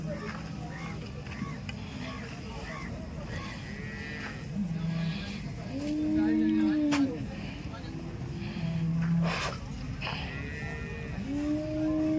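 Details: Dairy cows for sale at Loni cow market mooing intermittently, a series of long low calls in the second half, partly overlapped by a man speaking and general market bustle.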